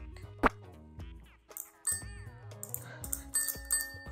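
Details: Bright chiming music with bell-like tones and gliding notes fills the recording, with no animal voice heard.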